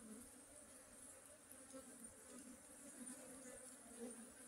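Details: Low, even buzzing of honey bees, a continuous hum with a layered overtone that swells slightly here and there. A thin steady hiss sits high above.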